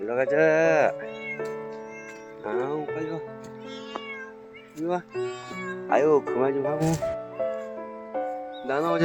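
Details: Street cats in a park, including one called Nana, give drawn-out rising and falling meows at intervals while a person calls them by name and urges them to hurry, with soft background music.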